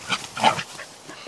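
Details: A happy Corgi running through tall grass on 9 July 2015 gives two quick, high yelping barks close together, then quieter rustling follows.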